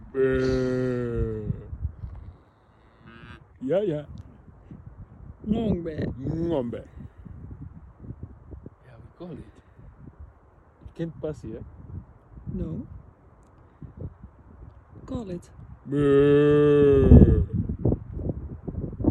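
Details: A cow gives a long, low, droning moo at the start and another deep, drawn-out moo near the end. Human talking and laughter fill the gap between them.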